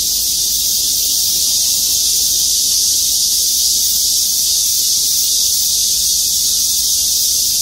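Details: Cicada chorus from trees in the parking lot of Gwangmyeong City Hall, South Korea: a dense, unbroken high-pitched hiss that holds steady throughout, with many insects blending into one continuous shrill wall of sound.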